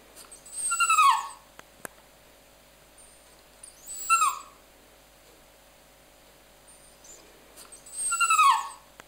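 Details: A dog making a 'talking' sound: three short high whines about three seconds apart, each sliding down in pitch, over a quiet background.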